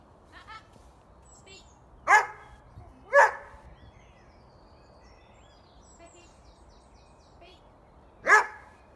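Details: Coco, a Doberman, during an obedience training session: three loud, sharp barks, two close together and a third after a long pause, with faint bird chirps in the background.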